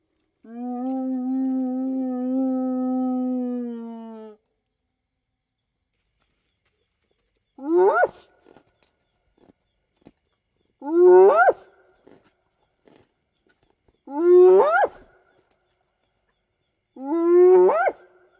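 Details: Spotted hyena (Crocuta crocuta) at night in the African bush: a long, steady low moan, then sharply rising whoops about every three seconds, long-distance contact calls to clan members, against a quiet background.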